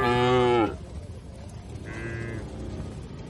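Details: Cattle (sapi lembu) grazing on fresh grass in an oil palm plantation in Indonesia: one loud harmonic moo lasting about half a second, falling slightly at its end, then a fainter, shorter call under low background rumble.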